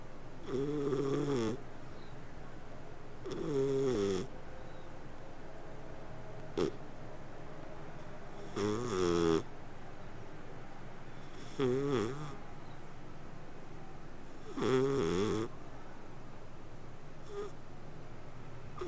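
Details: Domestic cat snoring in its sleep: squeaky, nasal breaths with whistled harmonic wobbles, one every three seconds or so, over a quiet low hum in the gaps.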